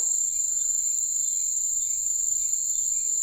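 Crickets trilling at night: a steady, high, shimmering buzz that never breaks.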